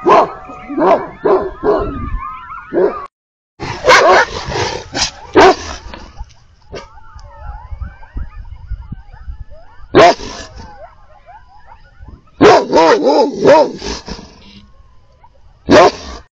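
Livestock guardian dogs bark in loud, harsh bursts, answering a pack of coyotes yipping and howling nearby.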